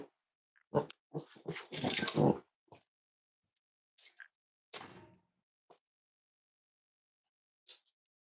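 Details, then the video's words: Snuggling Cavalier King Charles Spaniel puppies, kept indoors as emotional support animals, on a warm Friday morning. Clustered short grunting bursts around the second second, then a few isolated huffs and a faint high squeak near the end. "Cavalier Puppy Livestream: Cozy Cavaliers Love to Snuggle"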